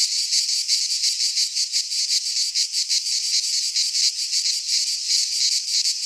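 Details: In a Greek pine forest at midsummer, cicadas keep up a shrill, grating buzz broken into rapid throbbing pulses, roughly three a second, with no birds or voices.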